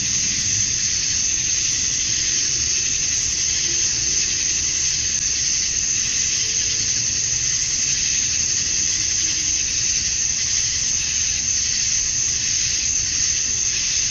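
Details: Evening chorus of male cicadas in Georgia, USA, on a summer night, singing to attract females: a steady, high, hissing buzz that never pauses, with occasional faint lower tones beneath.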